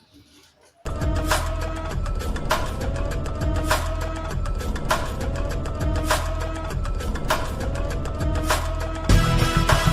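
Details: After a brief quiet start, loud rhythmic music with a steady beat plays, and no animal calls stand out.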